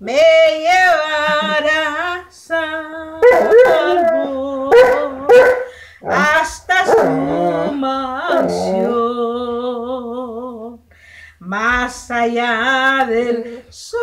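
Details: Saint Bernard howling along to a song: long wavering, tonal howls with vibrato rise and fall, broken by short yips and gaps, over a faint low steady hum.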